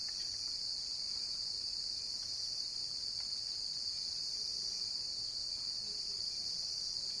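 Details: Cricket chirping: a steady, unbroken high-pitched trill that holds one shrill tone throughout, with only faint background hiss beneath it.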